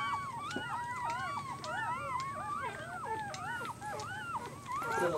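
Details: Newborn puppies, 24 hours old, squealing together: many overlapping thin arched whines, rising then falling, in a constant chorus with soft clicks and a brief noise at the end.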